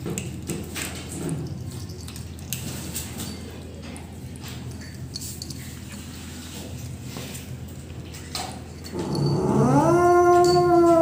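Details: Rescued pet kitten making sounds while eating: after quiet rustling and clicks, a loud drawn-out harmonic cry rises sharply, then holds steady and strained for about two seconds, indoors.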